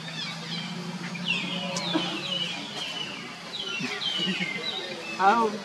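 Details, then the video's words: Baby monkey Leo cries and screams loudly to call its mother Libby: a run of thin, high, descending screeches and wavering whines, repeated several times, over low background chatter and rustling. "cute baby monkey Leo crying and screaming loudly to call mommy monkey Libby"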